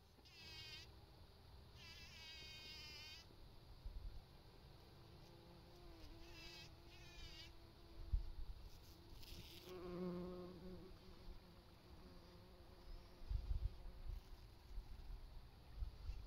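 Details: A bee busily pollinating buzzes in short, droning bursts that rise and fade as it moves close.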